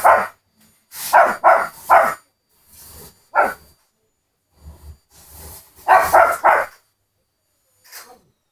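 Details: Two-year-old Pomeranian, afraid of the vacuum cleaner, giving bursts of sharp barks in quick groups of two and three, with pauses between, and a few softer yelps; a person speaks near the end.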